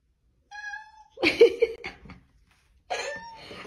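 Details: A male house cat at home in Hungary, meowing because he wants to go out into the garden; a thin, steady tonal meow, then a woman's voice, then a second, richer meow.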